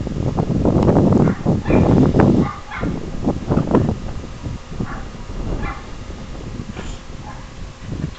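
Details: Two pet beagles play fighting with each other; rough growls and snarls come in quick bursts, with a few higher yips and whines breaking through as the tussle continues.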